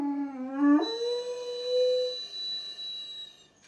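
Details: Weimaraner dog howling indoors: a low, slightly wavering tone that jumps abruptly upward, then holds a long, smooth, steady note before fading out, with faint room noise.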